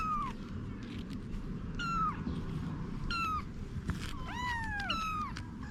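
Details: Domestic cat Anna with her kittens: several short, falling meows, some overlapping in the second half, with a few clicks and soft rustling in between.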